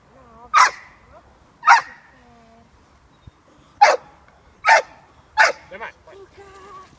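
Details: Six-month-old female American Staffordshire Terrier puppy at protection work with her handler: five sharp, loud barks, roughly a second apart with one longer pause, and a low voice audible between them.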